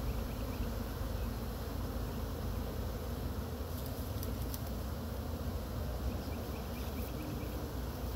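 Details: Honey bee swarm caught from a pine tree in Chattanooga, brushed into a frame box while growing agitated; an unbroken deep droning buzz, with a few faint high clicks near the middle.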